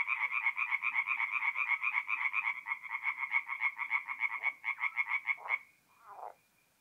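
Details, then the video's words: Tree frogs calling by night at an April forest pond in north-east Italy: rapid rattling croaks from several frogs, about four pulses a second, stopping abruptly near the end, followed by one lower, rougher croak. "relaxing forest pond by night with singing tree frogs"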